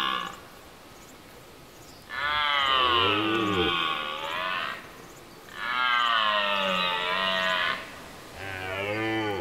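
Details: A red deer stag in Serbia during the rut, the dominant stag holding his group of hinds against rivals, gives three long, hoarse, bellowing roars, each two seconds or more, rising then falling, with brief pauses.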